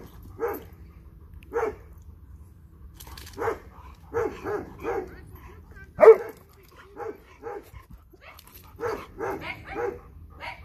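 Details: Playful barking from a dog, a Dobermann or Boxer, wanting its ball: spaced single barks, then tighter runs of three or four, one sharper bark standing out, in a quiet room.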